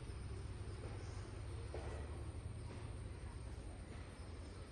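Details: Steady low rumble of a passing vehicle or engine, with broadband hiss and no animal calls.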